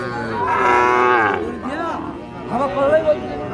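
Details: Lowing of Sahiwal bull calves at Ambari cattle market in Parbatipur, Dinajpur, Bangladesh, on 13 December 2025: a strong, steady, drawn-out moo lasts about a second, then shorter bellowing calls come amid crowd speech.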